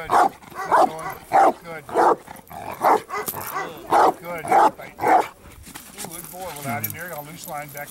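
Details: Bandog Achilles, aged 4.5 years, in a training session building up to strong barks, August 2014: eight forceful barks spaced about half a second apart, then a man speaking quietly.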